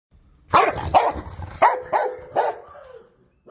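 A Rottweiler barks angrily, giving five deep, harsh barks in quick succession.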